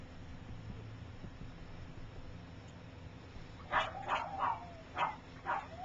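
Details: Three-week-old puppies from Gypsy's litter, learning to walk: after several seconds of quiet hiss, a quick run of five short, squeaky yips arrives in uneven bursts, with a faint whine threading between them.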